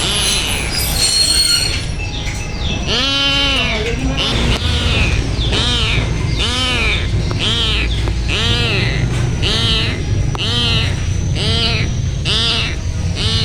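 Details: Sad village kitten giving loud, high arched meows, one about every second in a steady series, over constant low rumbling background noise.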